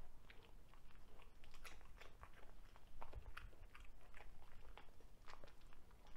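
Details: Broccoli-eating Cavalier King Charles Spaniel called Ludwig, indoors; crunchy bites in clusters, some louder snaps near the middle, over a faint low rumble.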